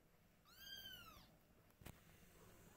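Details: Kitten or mother cat indoors, from a family of domestic cats with mother Silky: one clear high arching meow lasting under a second, followed by a brief knock in a quiet room.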